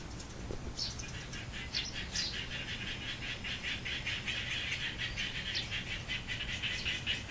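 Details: Garden frog chorus recorded after 11 a.m. on 10 October 2014: a dense, continuous high trilling builds across the clip, scattered sharper pulses above it, over a constant low-pitched hum.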